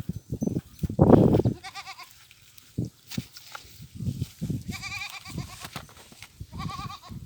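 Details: Goats grazing in fields with sheep while mating; several short tremulous bleats with a fast quaver, spaced a second or two apart, among low thumps and rustling handling noise.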